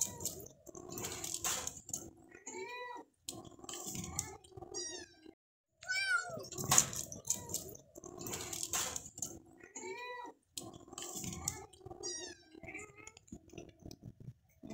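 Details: Kitten in a house, giving repeated high, wavering meows, some rising and falling in pitch, mixed with rustling and background noise, with short pauses between bursts.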